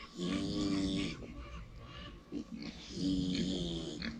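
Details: Two long, drawn-out snores from a pig dozing in the sun, each about a second of throaty, harmonic rasp with an airy hiss, separated by a softer snuffling pause.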